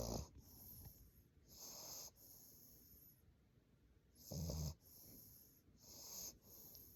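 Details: A sleeping English Bulldog puppy snores in uneven cycles, deep rattling snorts alternating with softer airy, whistly wheezes on each breath.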